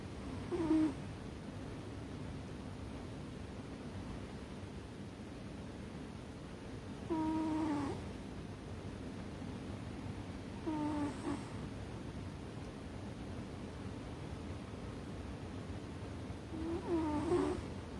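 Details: American Shorthair cat named Ame-chan sound asleep on top of a chest of drawers, snoring heavily; short tonal whistling snores with a steady hum, four breaths spaced about three to six seconds apart over a low constant background rumble.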